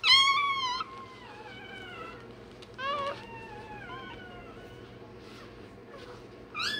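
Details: A day-old Rottweiler puppy, having its tail and dewclaws done, gives one loud wavering squeal. Quieter, falling whimpers follow, then a final sharp squeal at the end, with a steady low hum underneath.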